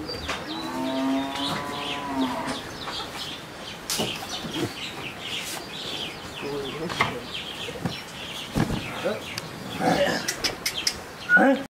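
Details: An 11-month-old crossbred Friesian heifer calf in Pabna, Bangladesh, opens with a drawn-out, even-pitched moo of about two seconds, followed by scattered human voices, clatter and bird calls.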